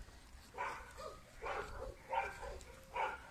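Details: German Shepherd puppy named Suegro, described as very sociable and cheerful, giving short harmonic yelps: about five separate bursts spaced roughly half a second apart, over a quiet low background hum.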